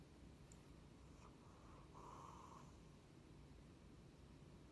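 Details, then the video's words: Athena, a female pet cat who has snored ever since she was a kitten, gives a soft, breathy, rasping snore that swells for under a second near the middle, over a steady low room hum. "Cat Snoring LOUDLY!"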